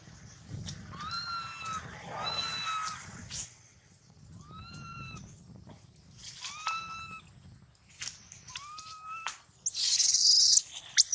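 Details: Injured baby monkey, its leg almost bitten through by a large male, gives repeated high whistled wails, each rising then falling, in bursts of two or three with short pauses; soft background rumble and a loud scraping burst near the end.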